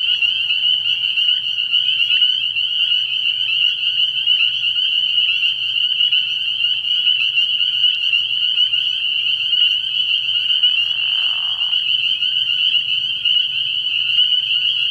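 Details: Spring peeper chorus from a frog pond on an early spring night, countless shrill peeps fused into a ringing high drone, steady for the whole stretch, with a brief lower rasping sound midway.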